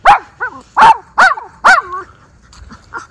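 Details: Miniature Schnauzer, one of two brothers let off leash outdoors in spring, April 18, 2024, in Aroostook County, Maine, snow just melted; four sharp, high yipping barks in quick succession over two seconds, then fainter yips.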